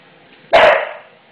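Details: A 5-year-old English Bulldog, frightened and angry at a newly installed floor and the noise of fitting it, gives a single short, rough bark that fades over about half a second.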